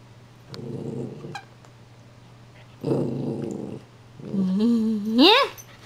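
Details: Pembroke Welsh Corgi puppy indoors giving two short rough growling bursts, then a rising, wavering whine that climbs sharply in pitch at the end.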